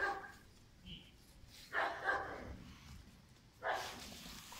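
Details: German Shepherd puppy Pirat, five months old, lets out three separate deep barks spaced over a few seconds, with quiet gaps and a faint chirp between them.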